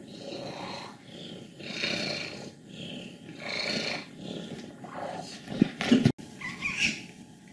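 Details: A 14-year-old female cat in Leutkirch im Allgäu, Germany, old and contented, grumbles in low rattling waves. Short higher squeaks break through near the end.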